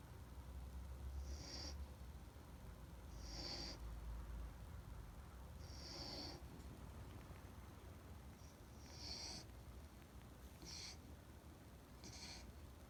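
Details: A Standard Poodle named Rintaro snoring at home, heard as soft breathy bursts roughly every two to three seconds, each carrying a faint high hissing whistle over a low, steady background hum.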